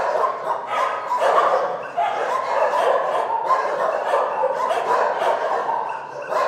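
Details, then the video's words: Several dogs in a shelter keep up a constant clamour of overlapping barks and yelps. Individual barks stack densely over one another with barely any gaps. "Psy szczekają w schronisku"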